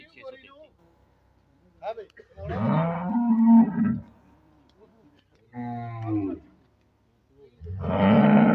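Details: Sahiwal-Jersey cross cow giving repeated low moos, three loud drawn-out calls spaced a few seconds apart, the last one strong and steady, with a little background noise between them.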